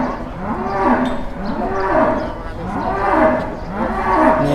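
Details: A jumbo cow at an Indonesian cattle market: four short, arching moos in quick succession, roughly one per second, each swelling and falling, with faint market background.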